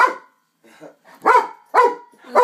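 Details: A pet dog barks at an LED hula hoop. After a quiet gap with faint sounds, three loud, abrupt barks come about half a second apart.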